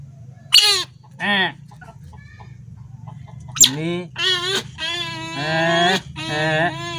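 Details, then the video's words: Young captive otter screaming for fish at feeding time: a series of short, loud, harmonic squeals in uneven bursts, some rising then falling, growing longer and louder toward the end, over a low background hum. "baby otter ll Berdiri dan berteriak saat mau di beri ikan"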